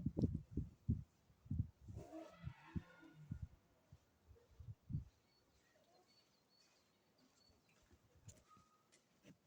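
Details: Lion Ito-chan at Maruyama Zoo, 28 February 2025, roaring: a series of deep, low grunting pulses about every half second for five seconds, with a brief noisy burst near the two-second mark, then fading to quiet background.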